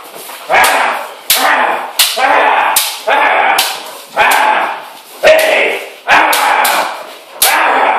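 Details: One-year-old female German Shepherd in bite training indoors on a slippery floor; loud, harsh barks burst out about once a second in a steady run, with human voices mixed in.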